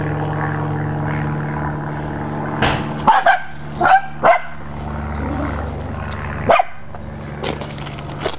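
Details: Chasing a squirrel, Dachshunds let out a run of abrupt barks, several clustered in the middle and one more near the end, against a constant droning motor hum.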